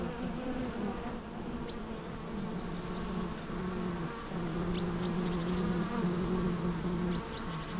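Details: Bees droning in a low steady hum, one clear wingbeat tone holding and sliding slightly, with a few faint high bird chirps in the background.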